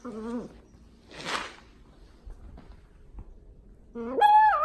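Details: A dachshund puppy, happily playing in her blanket bed, gives short tonal whines, the last rising sharply in pitch, with snuffling breath between.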